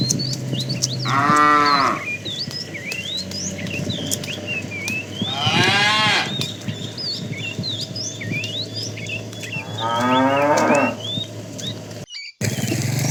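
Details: Tame cattle herd beginning a long walk toward fresh pasture; three drawn-out moos spaced roughly four seconds apart, with small birds chirping and twittering throughout.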